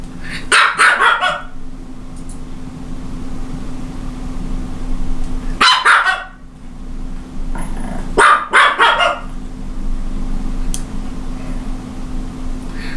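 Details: Japanese Chin dog barking in three short bouts of sharp, rapid yaps, near the start, around six seconds and around nine seconds, with quiet gaps between, over a steady low electrical hum.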